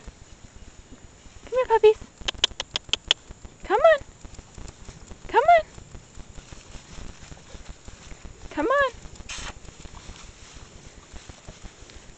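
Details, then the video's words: Eight-week-old Shar Pei puppies from one litter: four separate arching whines, each rising then falling and rich in harmonics, spaced about two seconds apart, with a quick run of sharp clicking taps early on over faint background hiss. "Shar Pei puppies"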